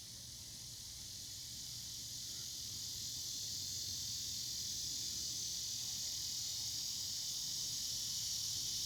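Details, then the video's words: Cicadas singing in the evening: a steady, high, hissing buzz without breaks that grows slowly louder throughout, with no other clear sounds. "Evening Cicada Sounds"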